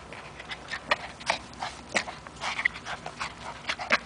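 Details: A 3-year-old Chihuahua terrier playing with a rope: quick, breathy broadband puffs and huffs in irregular bursts, with a few short squeaky yips mixed in.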